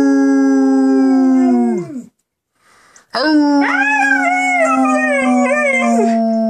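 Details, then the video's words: Domestic dog singing along with its owner indoors, giving a long steady howl that drops away at the end, then after a brief pause a new sustained howl with wavering upper tones. "Bam singing with me."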